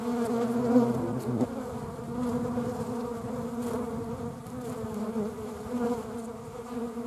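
A hornet's steady, low droning buzz, rich in overtones, with slight shifts in pitch as it flies.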